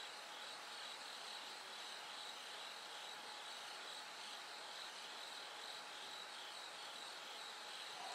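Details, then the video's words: A bell cricket's night song carries on while the sky slowly lightens. High bell-like pulses come in short bursts over a continuous, even insect chorus that fills the background. "bell cricket Cry of falling insects"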